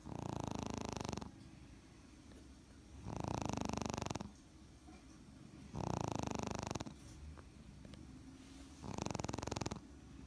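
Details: Smooth coat Brussels Griffon snoring while asleep, loud raspy breaths about every three seconds, each lasting roughly a second, with quieter breathing between.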